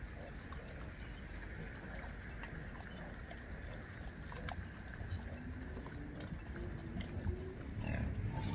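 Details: Wild boars (Sus scrofa) on a Polish organic farm and safari grunt and snuffle low and steadily, in a rapid, uneven stream of deep sounds.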